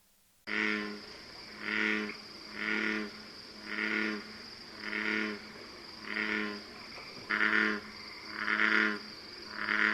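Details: American bullfrog at an evening wetland pond in the northeastern US gives deep, guttural, very loud resonant notes, each about a second apart, in a steady series.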